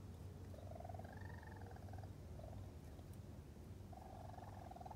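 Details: Raccoon kits with their mother on 22 June 2022, on their first visit, still very vocal and chirping loudly: a run of short, clear tonal chirps, some drawn out and wavering, over a steady low rumble.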